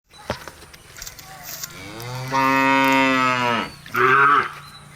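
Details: A cow gives a long, rising moo, then a shorter, brighter second call.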